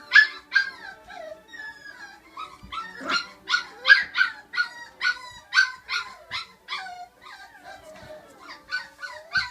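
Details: Several five-week-old puppies of Flute's litter, girls and two boys, keep up a chorus of shrill harmonic yelps and short howls roughly every half second, overlapping with thin whining tones underneath.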